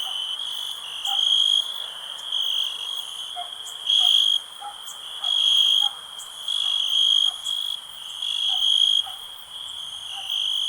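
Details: A cricket's high, steady trill runs throughout. Louder pulsed bursts break in about every second, and faint lower blips sound beneath it.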